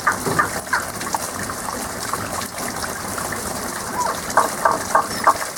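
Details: Frogs heard but not seen, singing their song of this season only: scattered clipped notes early, then a tighter run of bright repeated calls near the end, over continuous rushing water.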